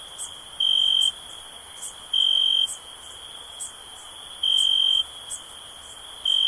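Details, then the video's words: Crickets: a steady high, thin chirring drone with loud half-second trilled bursts returning about every one and a half to two seconds, plus faint soft clicks above. "Cricket Sounds"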